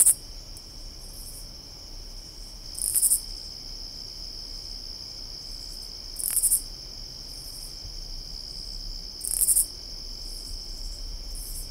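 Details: A katydid in summer gives short, raspy, high-pitched bursts roughly every three seconds over a steady insect drone.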